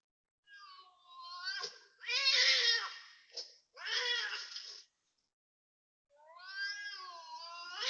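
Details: Loud cat calls at 5.09 am on 19 February 2026 at a housing block in Toa Payoh, Singapore. Drawn-out wailing yowls rise and fall, with four calls over eight seconds and a brief silence before the last one.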